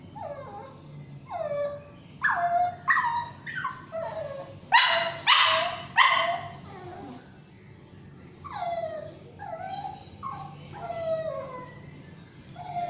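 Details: Shih Tzu and Yorkshire Terrier mix dog crying while being bathed: series of high, falling whimpers and yelps about every second, with two louder harsh barks midway.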